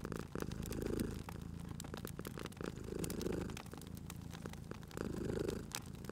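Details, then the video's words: Low purring from a sleeping cat at a crackling fireplace in cozy spring ambience; three slow purr swells about two seconds apart under a continuous scatter of fire crackles. "Cute Purring Cat at a Crackling Fireplace"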